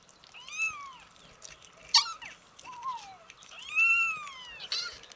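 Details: Young kittens, 27 days old, mewing in short arched cries and a sliding downward squeak, with faint clicks and rustling between calls.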